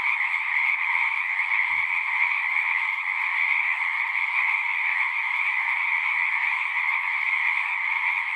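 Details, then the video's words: Frog chorus at a horse-pasture pond, recorded on a Zoom 6: dense, continuous high trilling from many frogs at once, with a brief low thump near the start. "Frogs singing"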